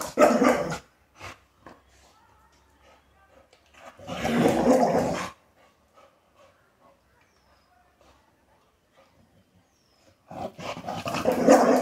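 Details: Rottweiler puppy, a female, 'arguing' to be let outside: three loud rough bursts of grumbling, whining vocalisation at the start, middle and end, with faint small sounds in the quiet gaps.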